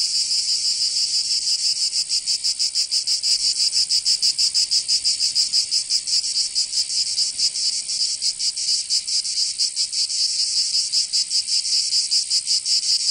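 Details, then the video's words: Cicadas in summer, Provence in the south of France: a constant piercing buzz with rapid throbbing pulses, somewhat uneven in rhythm, holding a steady loudness across the whole stretch. "Canto Cigarra 🦗 [ Escuchar les cigarras en verano 10 H]"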